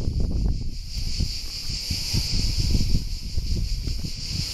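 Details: Continuous shrill cicada chorus at Alberese in Italy, an even high buzz holding throughout, layered over heavy low rumble and rustling from wind or movement.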